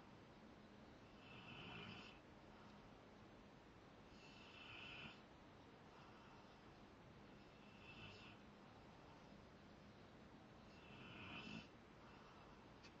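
A Rottweiler snores in slow, rasping breaths, each swelling and fading about every three seconds.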